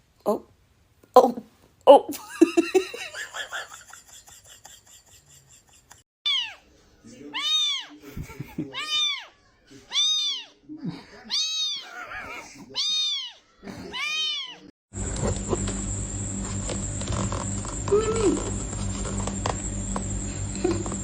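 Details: Domestic cat from a funny pet compilation giving a run of about seven evenly spaced, arching meows, each rising then falling, after earlier human speech; loud broadband noise and music take over the final seconds.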